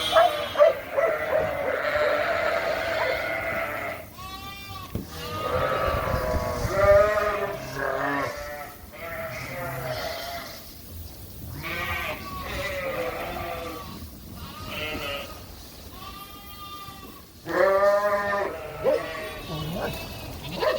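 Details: Suffolk lambs mixed into one big group in a barn after an open gate let them escape; many overlapping harmonic bleats from several lambs, some wavering, some long and loud, calling almost continuously.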